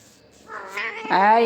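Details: A cat in an angry mood lets out a harsh, strained meow that swells louder toward the end, with a faint voice in the room.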